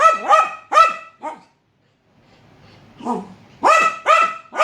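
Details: A dog meets a leopard gecko for the first time and gives loud, tonal barks in pairs, with a downward bend to each, a brief quiet gap, then another pair of strong barks.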